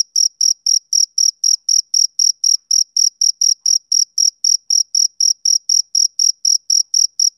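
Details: Steady high chirps from a male cricket on a summer evening, close to four per second in a regular pulse, with a quiet background.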